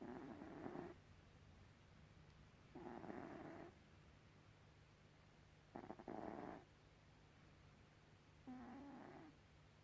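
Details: Snoring from Gribouille the cat, four rough, breathy snores spaced roughly every two to three seconds, some carrying a slight whistling tone, with a constant low electrical hum underneath.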